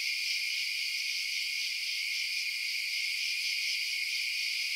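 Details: Night chorus of chirping crickets, an even, continuous shrill hum in stacked high tones that holds steady throughout, with nothing else audible.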